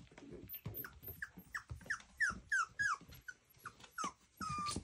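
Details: Playing miniature schnauzer puppies indoors give a run of high, whining yelps. Each yelp slides downward, coming several times a second among low growls, and ends in one longer drawn-out whine.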